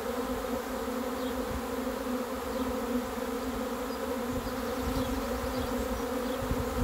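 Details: Arriving swarm of honey bees during a capture, a rich continuous buzz slightly swelling and fading, many wingbeats blending into one drone, with faint low rumbling underneath.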